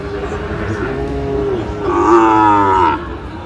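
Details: Sahiwal bull at a cattle market in Natore, Bangladesh, on 2 February 2025: one swelling moo rises to a louder, strained peak before cutting off, with talk and soft music behind.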